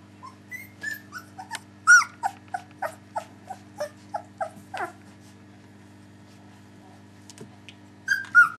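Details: Three-week-old puppies whimpering: a run of short, high, whiny yelps repeated about every third of a second, some sliding downward, then a pause of a few seconds before two louder squeals at the end.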